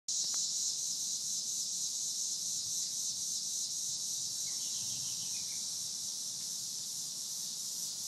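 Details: Cicadas on a summer evening produce a continuous, steady high-pitched buzzing drone that holds unbroken throughout, with a few faint chirping notes from another creature near the middle.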